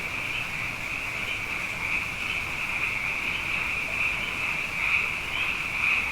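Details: Night chorus of many frogs, plentiful after two consecutive wet years: a dense, unbroken high trilling band that swells slightly toward the end, with soft low rumble underneath.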